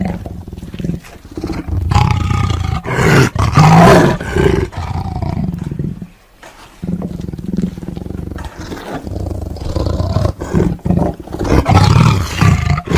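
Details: A tiger's low, throaty roars and growls continue almost without pause, rising and falling in rough rumbling waves with a brief lull midway.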